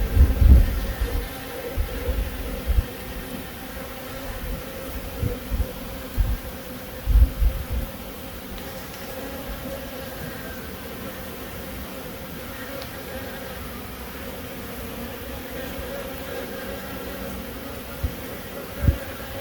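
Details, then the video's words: Honey bees in Himachal Pradesh, India, a sustained low buzzing hum lasting the whole recording, with repeated dull low knocks clustered in the first half and a couple near the end. "Honey bee sound effect"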